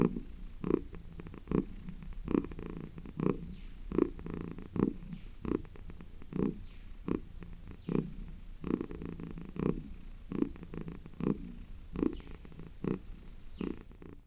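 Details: A domestic cat purring in rhythm with its breathing indoors: a low, soft rumbling purr that swells and fades in regular cycles. The bursts come roughly every second or so, alternating inhale and exhale, with faint breathy hiss between them.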